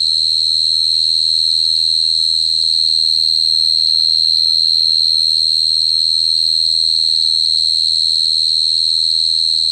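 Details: Long, even cricket trill, high and ringing, sustained throughout with no breaks, a weaker overtone above and soft low hum below.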